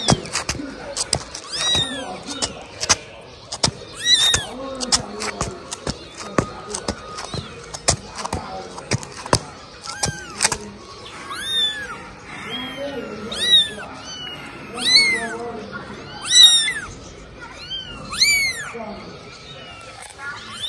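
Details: A 17-day-trained kitten crawling beside its owner, possibly the Mimi being called, makes thin, bending meows that come more often in the second half. A voice repeatedly calls "Mimi" and tapping noises sound throughout.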